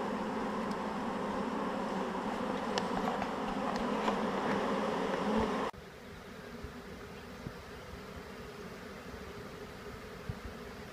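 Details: Honeybee swarm being shaken into a hive, the bees marching right in after two little shakes; dense steady droning hum, loud for the first half, then dropping abruptly to a quieter continuous buzz.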